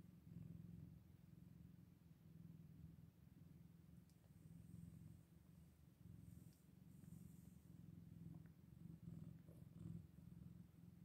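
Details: Steady, near-unbroken purr around Scottish Fold kittens eight days old, a deep vibrating hum with only gentle swells, plus a few faint light clicks and rustles.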